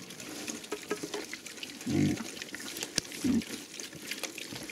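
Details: Young Hungarian Mangalica piglets, one of a group of ten, feeding on chicken offal; two short, low, rough grunts about a second apart stand out over wet chewing, rustling and a man talking.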